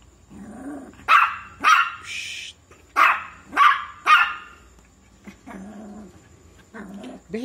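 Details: Shih Tzu puppy letting out a rapid run of high yapping barks, several in quick succession, interleaved with low whining or growly vocal sounds and a few softer yips at the end.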